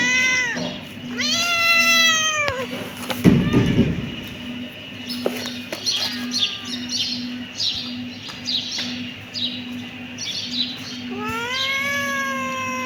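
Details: Kitten meowing: two arching meows at the start, a thump, a stretch of faint scattered sounds, then a long rising meow near the end, over a steady low hum.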